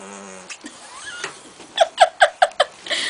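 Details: Pet house cat with asthma, honking like a goose when angry and refusing to welcome a new kitten indoors: a faint low tone, then six short, harsh, nasal honks repeated about every fifth of a second.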